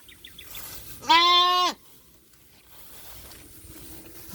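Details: Goat on a small farm while people search for a missing kid near a well; one loud, steady harmonic bleat lasting under a second, preceded by faint short clicks, then a quiet rural background.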